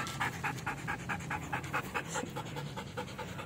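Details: Belgian Malinois during training, panting rapidly in steady rhythmic breaths, about two to three per second, each a short breathy puff, with a low steady hum underneath.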